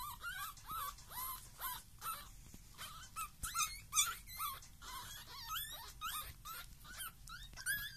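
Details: Pekingese puppies aged 19 days give high, thin whimpers and squeaks, several voices overlapping in quick succession.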